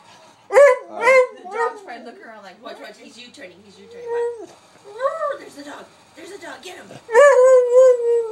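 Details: Pet dog reacting to another dog with a rapid run of yowling barks, followed by scattered softer whining cries and a final loud, drawn-out howling bark.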